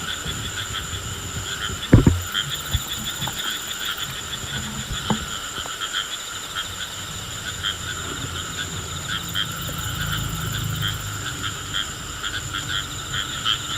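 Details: Rain frog making a funny drum sound when touched: a sharp handling knock near the start, then a long, low, buzzy drumming hum building toward the end, over a constant high-pitched insect drone.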